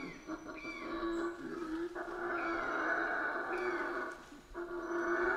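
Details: Howler monkeys in Central American rainforest, quieter, more distant roaring drone that holds steady for several seconds, with faint high chirps and short whistled notes from other animals over it.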